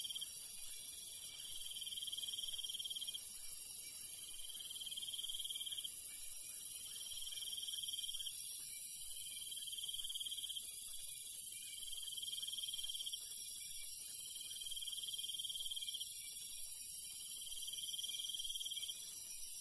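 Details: Crickets at night in rural countryside: a constant high-pitched ringing chorus, with one shrill trill repeating in bursts roughly every two to three seconds, steady and rhythmic against a quiet low background.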